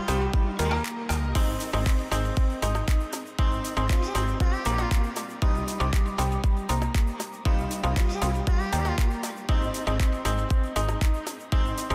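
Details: Upbeat electronic dance music with a steady thumping beat and layered synth tones; no animal voice is heard.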